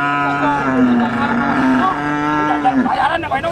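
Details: Cow lowing at a cattle market where female cattle are offered for sale: one long, steady, low moo lasting nearly three seconds, then dropping off, with a man's voice and market bustle behind.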